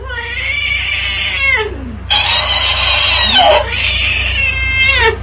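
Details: Domestic cat in a funny cat compilation giving long, drawn-out harmonic meows and caterwauls: a sustained wail that bends downward, a pause, then a louder strained howl with a sliding tail, over a steady low hum indoors.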